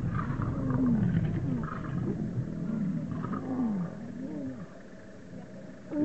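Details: Wild male lions locked in a fight to become king: gliding, moaning snarls that rise and fall in pitch, several in quick succession, fading toward the end before a sudden loud burst.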